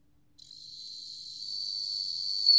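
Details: Bell cricket song: a steady, high, ringing trill begins after a short silence and swells gradually louder throughout, with a brief stronger burst at the very end.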